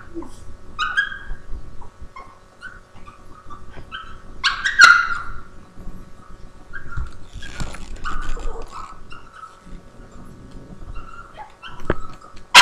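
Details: Nutmeg, a Boston Terrier, whines and yips at Hooligan, a Havanese, trying to get him to share his treat, captured on a laptop webcam; short high whimpers and a few sharp yips come in bursts over low room noise.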